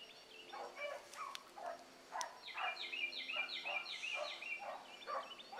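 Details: Young hound pups, among them Ringo, Mingo and Choco, running a rabbit in the morning. A chorus of overlapping, quavering bays and yelps rises and falls rapidly, some drawn out into wavering howls, heard from some distance.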